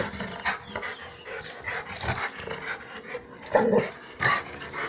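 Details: A Rottweiler that has caught a grass snake in its home courtyard in the Po Valley pants and huffs in rough bursts, with two brief tonal yelps near the end.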